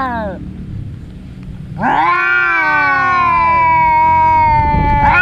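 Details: Two brother cats that fight every day, in a fight: a long harmonic yowl swells and wavers for over three seconds after a short falling cry, with a second cat's cry starting at the end over low background rumble.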